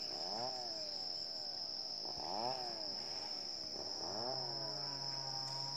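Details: A wild herd of Asian elephants in Chanthaburi Province, Thailand, at 7:18 am on 10 December 2016, gives three rising-then-falling harmonic calls over a steady high insect drone.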